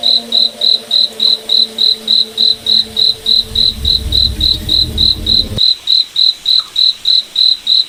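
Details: Night forest crickets under moonlight give steady, high-pitched pulsed chirps roughly three times a second, over low droning tones and a soft rumble that stop abruptly partway through.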